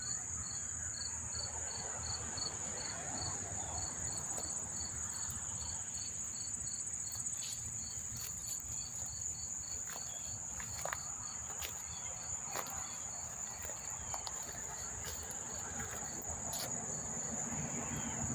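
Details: Lots of crickets chirping up close near Monmouth Park Racetrack, New Jersey, September 4, 2023: rapid pulsed chirps, about four per second, over a continuous high ringing trill, with scattered clicks and low rumble.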